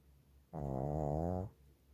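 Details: Cookie, a Shih Tzu, snoring beneath a blanket: one low, buzzing, rasping snore lasting about a second, steady in pitch and rich in overtones, set against a quiet indoor room.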